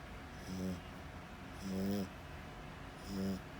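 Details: Loud snoring from a sleeping French Bulldog, three rough snorts in under four seconds, each a brief buzzing rasp that swells and fades, steady low hum underneath.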